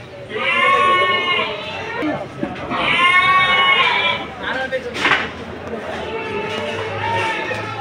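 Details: Goats bleating at Sagorika goat market on a Saturday in 2024: two long, wavering, nasal bleats about two seconds apart, then fainter bleats beneath a busy crowd murmur and a sharp knock.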